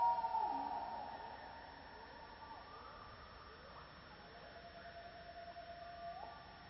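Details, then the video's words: Gibbons calling in a Borneo rainforest on a misty morning, among other forest creatures: a loud rising whoop at the start, then fainter sliding hoots and upward swoops repeating over a steady buzz of insects. "Gibbon Call"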